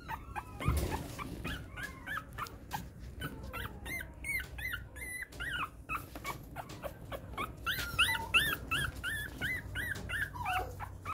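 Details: A group of Poodle × Pomeranian mix puppies squeal and whimper indoors. The high, rising and falling squeaks come in rapid, irregular runs, dense throughout, with an occasional knock near the start.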